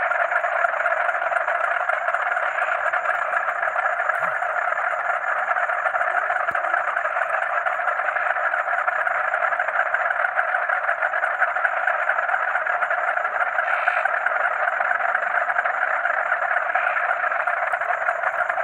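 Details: Crickets and frogs at night, calling together like a music of nature: an unbroken, layered frog chorus of rapid croaks, topped by a continuous thin, high cricket trill.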